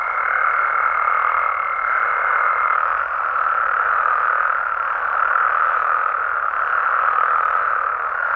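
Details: Mexican frogs and toads at night, many voices merging into a constant dense trilling wash; a thin steady whistle sounds over the first third, then fades, leaving the chorus alone.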